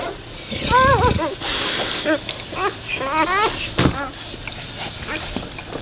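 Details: A newborn Labrador puppy, still unable to see or hear and staying near its mother to nurse, gives thin, squeaky whimpers in short bursts, each note bending up then down.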